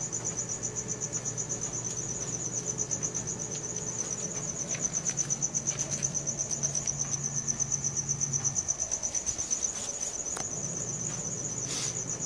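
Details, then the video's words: Cricket chirping at night, Samsung Galaxy S4 recording: a shrill, rapidly pulsing trill holds steady from start to finish while a low hum underneath fades out partway and returns. "CRICKET SOUNDS | RELAXING SOUNDS OF NATURE AT NIGHT"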